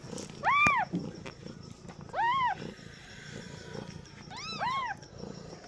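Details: A first-time mother cat's newborn kittens mew: three separate arched cries spaced about two seconds apart, the last two overlapping, over a low rumbling background and a sharp click.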